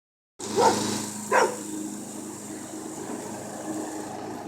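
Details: Jasper the puppy, who dislikes the mower and picks fights with moving things, gives two sharp barks early on over the steady drone of a running lawn mower.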